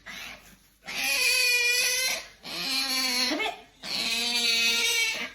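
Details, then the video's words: A hungry pet otter named Qoo gives her yumyum noise, three long, loud, high-pitched harmonic whines of about a second each, steady and slightly wavering, separated by brief pauses, recorded indoors. "Princess Otter Qoo makes funny yumyum noise"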